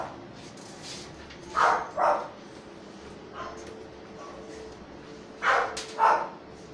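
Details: Lhasa Apso puppies, a litter getting their first vaccine shot and deworming, give sharp high yelps in two quick pairs, one pair early and another near the end, over a quiet indoor hum.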